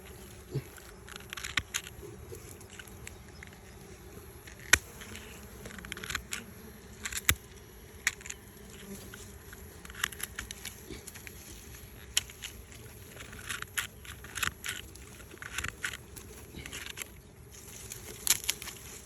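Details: Bees at two nests close together, one colony having flown off, in a tree; a steady low humming drone of many insects with frequent clicks and taps throughout.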